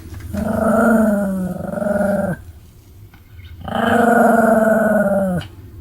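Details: Pomeranian named Sam, a pet dog: two long, drawn-out growling vocalizations of about two seconds each, steady and harmonic with a rough, pulsing texture, separated by a short quiet gap indoors.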